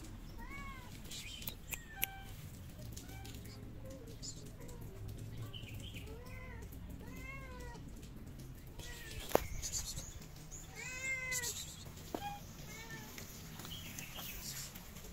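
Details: Hungry stray cats in Morocco, among them two pregnant, meowing repeatedly: a series of clear arched, harmonic-rich meows, some rising then falling, several overlapping callers, with street background noise and occasional sharp clicks.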